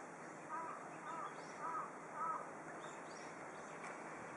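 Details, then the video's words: Pet cat Yukke, a female, meowing from a desk away from the window in autumn, overwhelmed by a large flock of birds outside; four short, arched meows spaced about half a second apart over steady broadband hiss. "びっくりしてる時の猫の声 HD - Cat did meowing in wonder."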